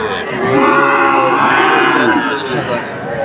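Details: Young Sahiwal bull calves at Aftabganj cattle market, bought by a Rajbari farmer on 18 October; a sustained wavering moo rises and falls across the clip over a busy backdrop of crowd chatter.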